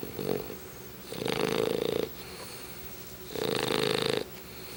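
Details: Chubbs, a pet English Bulldog, snores in his sleep: two drawn-out raspy snores about two seconds apart, each near a second long, with a faint short snort at the start and soft breathing between.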